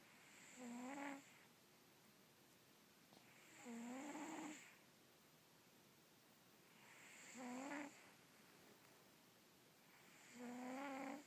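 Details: Sleeping Russian Blue cat snoring indoors: four nasal, rasping breaths about every three and a half seconds, each with a low, slightly rising tone and a hissy upper edge, separated by quiet pauses.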